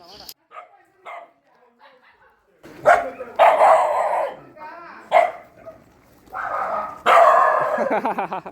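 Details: Shelter puppies at night feeding time, squabbling over food in their area: sharp harmonic barks and yelps in loud bursts through the second half, with human voices shouting between them.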